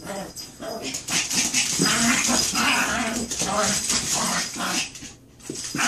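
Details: Chihuahua in a fight, growls and snarling yelps running almost continuously in an indoor room, with a short lull near the end and human voices mixed in.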